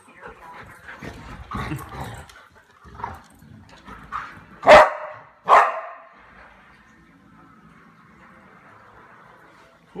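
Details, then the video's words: Pet dog barking while playing with another dog at night indoors: two loud sharp barks close together after soft murmuring voices and movement, then near quiet. "Ginger Barks at Daisy"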